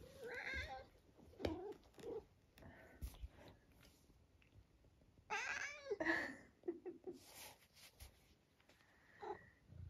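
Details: Senior male tabby cat from Great Britain, nearly 12 years old, very vocal and entertaining himself indoors; a string of short squeaky chirps and meows at irregular intervals, with a woman speaking softly in between.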